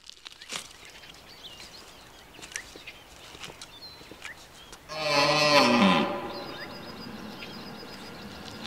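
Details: Deer giving a single loud, harsh call lasting about one second midway through, with strong low harmonics that sag slightly at the end. Quiet outdoor background with scattered faint clicks before and after.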